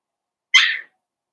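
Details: During play between Cavalier King Charles Spaniel puppies and their mother, a single short, high, slightly rasping yip bursts out and fades within a third of a second against a quiet room.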